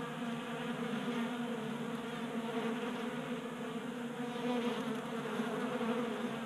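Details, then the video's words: Honey bees feasting at a 3D printed feeder on a workbench in a Colorado garage, active in unusual January warmth; a continuous layered drone of many wings, swelling slightly louder toward the end. "45 Minutes of Honey Bees Feasting from 3D Printed Bee Feeder"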